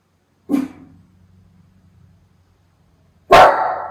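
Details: Miniature Schnauzer Levi on crow watch in Aroostook County, Maine, August 2021; a short bark followed by a low rumbling pause, then a second louder, harsher bark.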